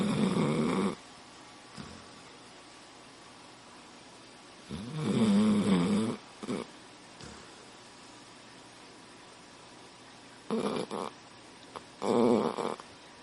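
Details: Dog snoring indoors: four loud, rough, breathy snore bursts at irregular intervals, each about one second long, separated by quiet pauses with faint room hiss.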